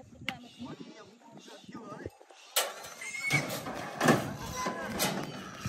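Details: Free-roaming pigs being caught in a forest to sell to traders give loud, harsh, noisy squeals in bursts through the second half, after a stretch of men talking and handling sounds.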